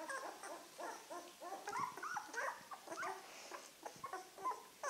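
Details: Nine-day-old Czechoslovakian wolfdog puppies from the 2016 Heaven & Baron litter, now moving about better and interacting, give a dense run of high whimpers and squeaks, many overlapping pitched whines rising and falling throughout.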